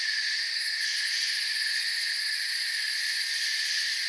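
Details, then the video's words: Constant shrill cricket chirping fills a forest soundscape: layered high trills without pause, the uppermost beating quickly, over an otherwise quiet background. "Forest Sounds and Crickets"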